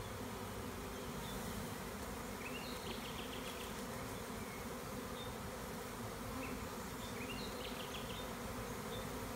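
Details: Spring swarm of honey bees, split from an overcrowded hive with its queen, caught by a beekeeper in rural Tuscan Maremma, Italy. Continuous thick buzzing drone from many bees, with a few short, high bird chirps over it.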